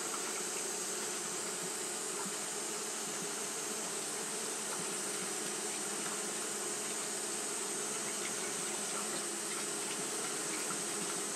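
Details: Japanese honey bees fanning continuously on a hot day, a steady dense hum with bands near 200 and 450 and a broad hiss above, unbroken throughout with no pauses.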